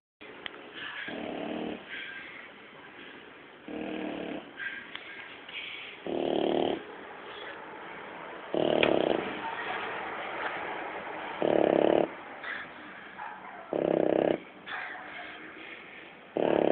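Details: Dog snoring indoors, keeping its owner awake: slow, rough rasping snores roughly every two to three seconds, each a loud low-pitched burst with quieter breathing between.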